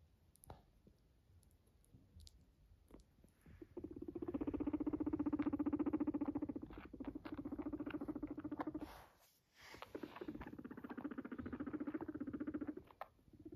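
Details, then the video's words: A domestic guinea pig that came up to its owner purrs indoors. The low, buzzy, fast-pulsing vibration sets in after some handling noise, breaks briefly near the middle, then resumes steadily to the end. "came to me to purr 🙂 it’s so cute 💕 Guinea pig"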